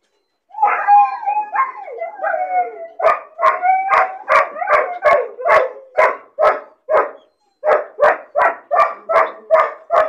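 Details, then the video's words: A puppy cries from loneliness and boredom while caged alone: wobbling high whines, then a steady series of sharp yaps, roughly two per second, with one brief pause midway. "Puppy crying and barking sound , loneliness and bored puppy cries"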